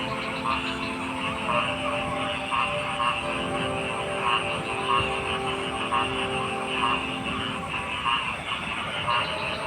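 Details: Frogs croaking in a dense chorus: short mid-pitched croaks repeat roughly once per second over a steady, shimmering wash of many other callers, with a constant low hum underneath.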